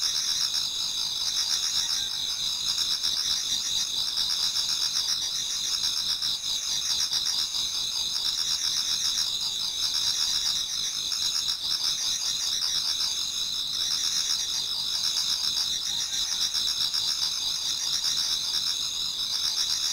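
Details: Japanese garden insects in autumn near dawn keep up a dense shrill chorus of steady high trills, with a lower chirping call repeating roughly every two seconds beneath it.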